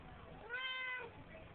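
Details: A talkative Siamese cat relaxing in a bathroom sink gives a single drawn-out meow that rises and then falls.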